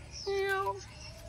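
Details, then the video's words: A hungry, unfed cat lets out a single drawn-out meow of about half a second. The harmonic tone holds level and then dips slightly at the end, over a quiet background. "Kucing Ini Ternyata Lapar Tidak Ada Yang Memberinya Makan"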